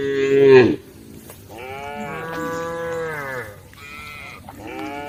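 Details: Several cows in a herd on the edge of a forest road moo in turn: a loud, lower opening call cut short, then softer, wavering, drawn-out lows that overlap and rise and fall in pitch.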